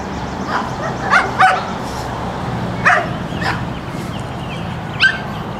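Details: Brutus, a 14-week-old Pekingese puppy from Akron, Ohio breeders, chases off a harmless garter snake: short, sharp, high yipping barks, a quick pair early then scattered single yaps, about five in all, over a steady low hum.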